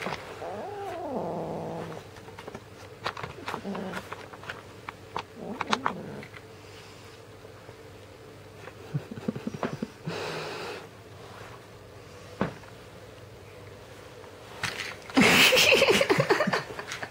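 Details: Red point Siamese kitten named Teddy, indoors, fussing after being tricked out of his toy: a few short low moaning growls early on, then scattered clicks and rustling, and a loud harsh burst near the end.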